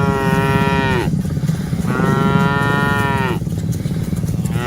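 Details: Cattle moo during herding of dozens of cows: two long, steady harmonic moos each ending in a falling drop, over a constant low rumble.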